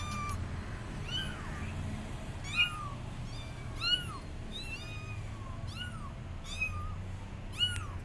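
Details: Kittens left abandoned on a gate cry for their mother: loud, curved, high-pitched meows repeated roughly every second, with some overlapping, against a low constant hum.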